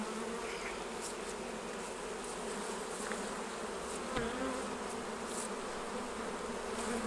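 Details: Honey bees at the hives during a honey harvest, as honey is taken off for jarring: a steady, dense droning hum with a low fundamental and a clear overtone, plus a few faint ticks and rustles from hive handling.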